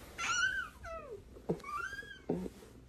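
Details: Cat indoors giving a high, falling meow followed by shorter whining mewing calls, with thumps and clatter in a small room.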